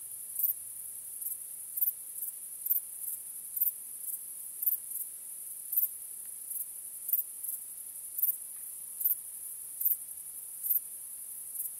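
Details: Crickets chirping on a starry night: a steady, very high-pitched ringing trill, with brighter pulses recurring roughly every half second in a regular, even rhythm against quiet surroundings.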